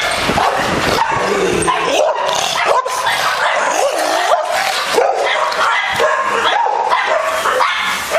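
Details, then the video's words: Aggressive American Bulldog in a steady stream of excited barks and yelps, with sliding, whining tones rising and dipping between the barks across eight seconds. "Very Aggressive American Bulldog"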